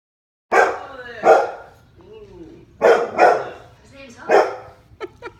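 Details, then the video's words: A 6-month-old Bernese mountain dog gives loud, gruff barks at dogs on TV, in short bursts, some doubled, with quieter sounds between. "our 6 month old bernese mountain dog barking at dogs on tv"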